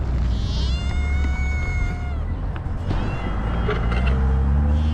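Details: Homeless stray cats in Ras Al Khaimah, UAE; one long drawn-out meow, steady then falling away over about two seconds, followed by shorter fainter meows, over a heavy low rumble of traffic or engine noise.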